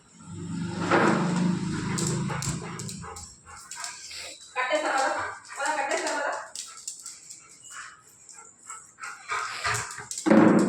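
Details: Bruno, a pet Labrador Retriever, protests being left behind when his owner goes upstairs. Loud barks and whines come in irregular bursts, with a woman talking in Telugu throughout and brief laughter.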